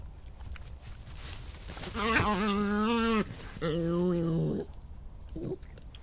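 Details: European badger, evening of 2 July 2014, during scuffles and disagreements ending in a chase down a paddock: two drawn-out, harmonic, wavering whines of about a second each, then a brief faint third note, over low background rumble.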